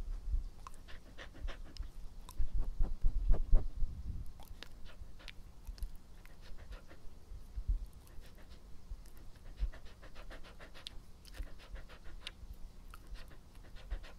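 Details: Close-miked pet dog Epo breathing and panting about four times a second, uneven rhythm, with a louder cluster of breaths and mouth smacks early on, then steady soft pants and clicks.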